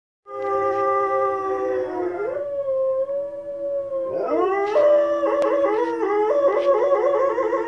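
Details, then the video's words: Nala, a female Presa Canario dog, howls along to wolves howling on a television: long sustained harmonic howls with sliding, wavering pitch, a brief dip midway, then rising, quavering tones. "Nala The Presa Canario howling to wolves on the tv"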